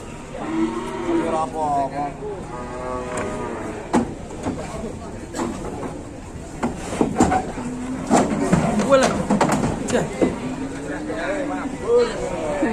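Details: Aggressive cattle being unloaded from a truck in Indonesia, giving deep, drawn-out harmonic moos, a run of them in the first seconds and more later on, over knocking and clattering handling noise with people's voices in the background.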